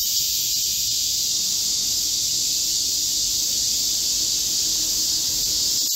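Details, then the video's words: Korean cicadas in chorus in a green midsummer forest in Korea during a heatwave, 25 July 2024: a dense, steady, high hissing drone with no breaks, bands of sound stacked high and unchanging throughout. "Korean cicadas, a chorus in a midsummer green forest | 한국 매미들의 한여름 초록 숲속의 합창"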